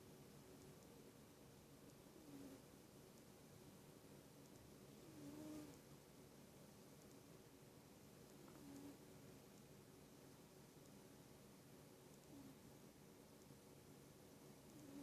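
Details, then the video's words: Sleeping pet cat snoring: soft, low, breathy swells recur about every three to four seconds, each a brief rise in a quiet, steady room hiss. "Snoring Cat"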